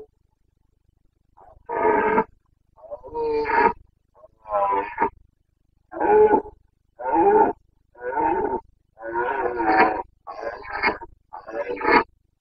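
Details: Carpathian stag bellowing in the breeding season, Bucovina forests, 29.09.2022: a long series of about ten loud, rough roars in quick succession, roughly one per second, some with a raspy upper edge.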